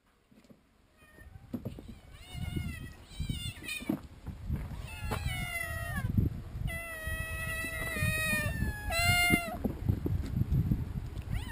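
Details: Several farm cats meowing in excitement at feeding time, always hungry for food; overlapping harmonic meows rising and falling, many callers over one another, with a low rumble of footsteps and movement beneath.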